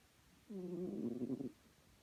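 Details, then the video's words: Domestic cat Chloe gives one long, rattling, tonal snore lasting about a second, wavering slightly in pitch, with a faint hum around it. "Chloe snoring"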